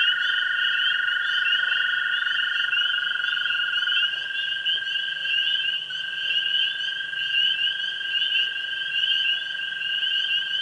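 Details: Frog chorus of tree frogs, spring peepers and green frogs on a springtime evening at a pond: a dense, shimmering high chirping wall, with a long steady lower trill that shifts pitch and briefly breaks before resuming.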